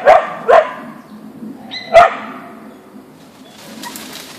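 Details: An Ausky Siberian Husky named Boeing facing a deer in a backyard gives three sharp mid-pitched barks within two seconds, then falls quiet, leaving only faint background noise.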